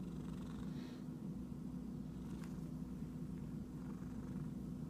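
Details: An itchy cat purrs in a continuous low, even rumble, broken briefly by faint scuffing noises near the first and middle seconds.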